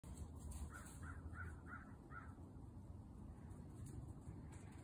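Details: A Hungarian Vizsla gives a run of short, high, whining yelps, each rising then falling.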